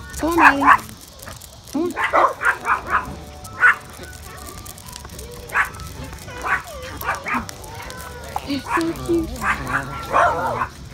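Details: Yorkshire Terriers playing at a dog park give sharp, high-pitched yaps, singly and in short quick runs spread across the scene, with people talking quietly in the background.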